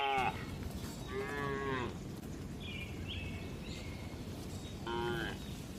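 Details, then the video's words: Dozens of gentle cows resting and eating inside a livestock farm barn; several short, harmonic moos from more than one animal, one near the start, one mid-clip and one near the end, over steady low background noise. "Calm Cattle Sounds"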